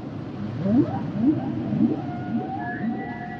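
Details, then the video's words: Humpback whale vocalizing: three quick low rising chirps spaced about half a second apart, followed by a long, level high whistle that slowly fades, with faint background hiss. "Sounds and Songs Of The Humpback Whales"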